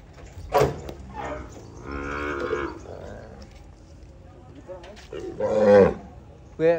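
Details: Peranakan Ongole cattle from Kebumen being loaded for shipping to Klaten, Indonesia: a drawn-out bellowing moo near the middle and a second, shorter and louder one later, with sharp knocks and voices around them.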